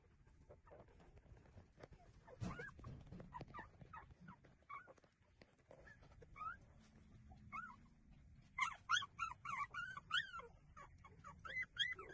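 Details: Nursing street puppies give high, wavering whimpers. They start sparse and scattered among soft rustling, then turn into a quick, overlapping burst of squeaky whines in the second half.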